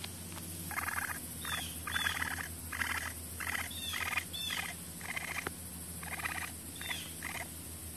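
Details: Young raccoon in wildlife rehabilitation care in central Mississippi giving a rapid run of raspy, chittering bursts, about one every half to three-quarters of a second for eight seconds, each with a thin squeak on top, over a constant low electrical hum.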